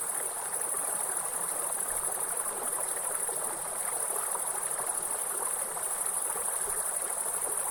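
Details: Grasshoppers in a forest beside a waterfall, producing a steady, unbroken high-pitched shrill drone that never pauses, layered over a constant rushing of falling water.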